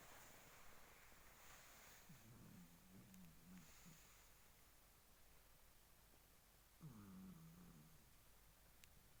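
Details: A Shih Tzu called Ku-chan snores while asleep. Two soft, low, rasping breaths come at about two seconds and seven seconds. They stand apart from an otherwise quiet, hissy room background.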